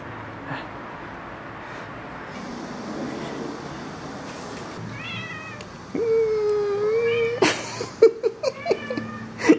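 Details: Domestic cat with foxtail grass. After about six seconds of quiet room hum, one long, steady meow comes first, then several shorter rising-and-falling meows mixed with sharp clicks and rustling.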